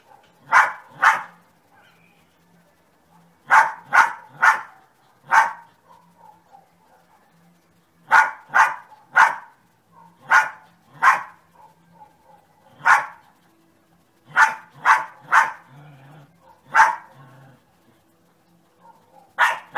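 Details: Sunny, a dog, barking steadily in bursts of two to four sharp barks separated by brief pauses, roughly twenty barks in total, with a faint low hum behind.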